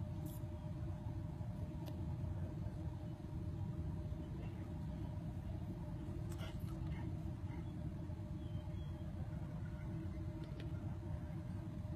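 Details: Steady low engine rumble of a vehicle with faint clicks and distant voices, no animal sound heard.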